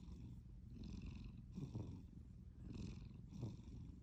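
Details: Sleeping cat snoring: soft, low rasping breaths with a faint airy hiss on top, about four cycles in four seconds, roughly one per second, steady and even.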